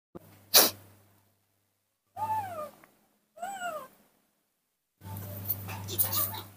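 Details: A baby monkey, described as confused and playing alone in the dirt of a front yard, gives two downward-sliding whistled cries with bright overtones. A sharp noisy burst comes before them, and a rough, voice-like stretch follows.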